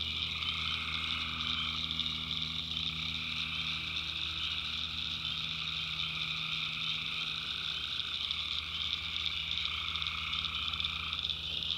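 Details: Tree frogs calling at night in the swampy backwoods of North Carolina: a dense, unbroken chorus of high trilling voices, with a lower pulsing band that rises and falls in stretches of a few seconds. Faint low hum underneath.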